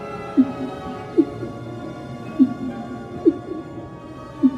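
Humpback whale song: short, low moaning units with quick upward and downward sweeps, repeated in a loose rhythm.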